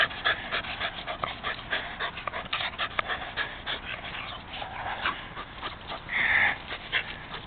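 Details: Jack, a rescued Rat Terrier, pants rapidly during a game of fetch, quick breathy huffs in a fast irregular rhythm with a brief louder rasping breath near the end.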